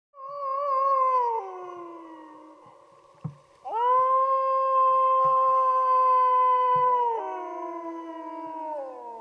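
Drawn-out, pure-toned howls of a wolf, each swelling quickly and holding a steady pitch for several seconds. The last one overlaps with another voice and sinks gradually lower as it fades.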